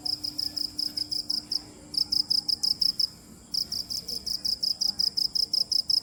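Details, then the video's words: A cricket chirps in short high buzzy bursts, pausing briefly around one and a half and three seconds before resuming a steady quick rhythm, with a faint low hum behind. "Cricket chirping | Crickets sound original | Video Crickets Chirping | សំលេងចង្រិតយំ | សត្វចង្រិតយំ"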